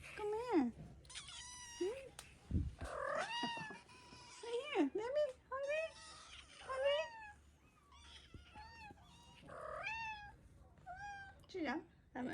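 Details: Ragdoll kittens from a mother cat's first litter, indoors in a small room, meowing while made to wait for breakfast: repeated high, bending meows, some rising then falling, with a person talking softly between calls.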